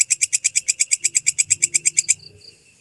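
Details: Walang kecek grasshopper, clean tutor recording for songbirds: a quick run of crisp high clicking pulses, around seven per second, that stops abruptly after two seconds, leaving faint low hum.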